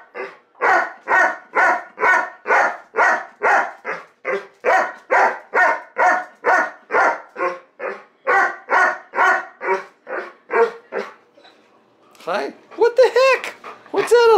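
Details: Happy Golden Retriever named Reggie barking steadily, roughly two barks a second, as if trying to say something important; the barking stops, then rising whines and squeaky vocal sounds follow near the end.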